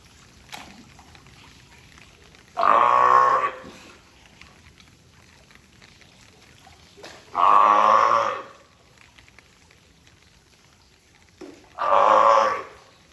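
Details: California sea lion named Taeko at Tobe Zoo of Ehime Prefecture, Japan, recorded 20 April 2022, giving three loud, harsh honking barks about every four to five seconds, each around a second long, with quiet gaps between.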